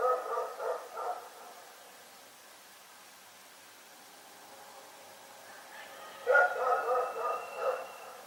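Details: A dog barks at night in two bouts: a rapid series of three or four harsh barks at the start, several quiet seconds, then another loud cluster of barks with some tonal whine before it fades.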